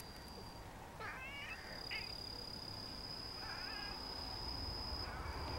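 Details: Pet cats that had been lounging on a concrete block wall climb down and wriggle about. Three short, harmonic, slightly wavering meows come near one, two and four seconds, over a steady thin high whine.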